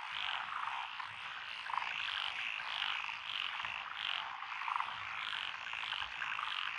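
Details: Many frogs, among them Japanese tree frogs, Tokyo daruma pond frogs and Schlegel's green tree frogs, calling from lotus paddies in Echizen, Fukui, Japan, on June 12, 2021; a thick continuous chorus of rasping croaks with brighter notes rising and falling.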